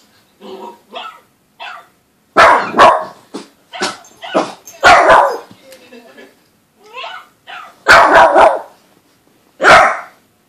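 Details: Boston Terrier puppy, usually calm, barking wildly at a television, sharp loud barks in irregular bursts, some doubled, with short yips between them and a person's voice.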